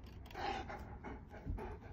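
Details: German Shepherd named Kaiser pants while being offered leftover chicken schnitzel after a long walk indoors: quick, rough, breathy puffs in an uneven rhythm, with the owner's voice nearby.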